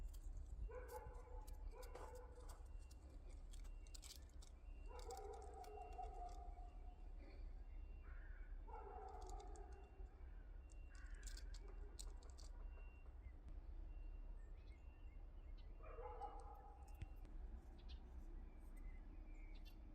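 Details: Liisi, a yard cat, gives a series of drawn-out tonal meows, each about a second long and spaced a few seconds apart, some doubled. A steady low rumble and scattered faint clicks run underneath.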